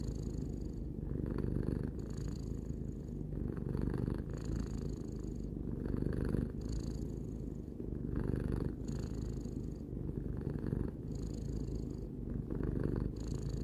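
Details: Pet cat, three years old, purring continuously: soft deep rumble with rapid fine pulsation, alternating slightly louder and quieter phases with each breath, about every one and a half seconds, in a quiet setting.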